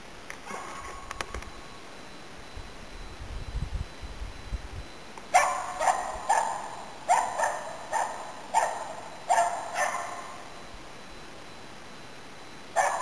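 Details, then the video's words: Nella, a Finnish Spitz, barking in autumn 2010 while hunting waterfowl and game birds in Inari, Finland; a quiet stretch with low rumbling gives way to a run of about eight sharp barks, then one final bark. "Pohjis-Nellan syksyn haukkuja 2010"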